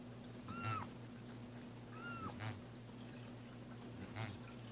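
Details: During the first bath of cats Roger Taylor and Simon LeBon, two soft, flat meows sound over a background hum and sloshing water.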